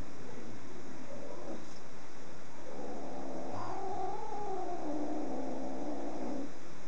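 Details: Indoor cat in a cats' room, producing a long, drawn-out wavering meow that rises and falls in pitch over several seconds, over a constant low room hum.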